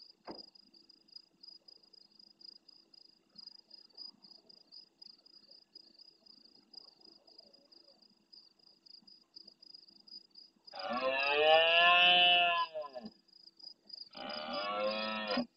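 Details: Sizeable red deer stag roaring intensely in early night beside a camera in the Doñana marshland, Andalucía, Spain, answering far-off roars: after near silence, one long grating roar and a second shorter one, over a steady pulsing insect chorus.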